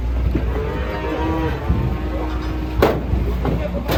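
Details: Cattle from a compilation of funny cows: one long, steady, low moo held for over two seconds, with a deep rumbling background hum and a couple of sharp knocks near the end.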